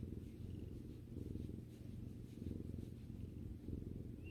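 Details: Pet cat purring contentedly as it relaxes with its owner; a dense, deep vibrating rumble swelling and easing in rhythm with breathing, little else heard.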